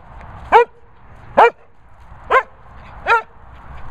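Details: Barney, a vocal Sprocker spaniel, gives four short, sharp yelping barks spaced about a second apart, each bright and falling in pitch, over a low steady background hum.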